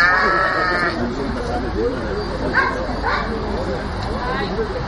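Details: Sheep bleating while being penned; a harmonic, wavering bleat opens the clip, followed by brief fainter bleats, with steady German speech from people working the flock throughout.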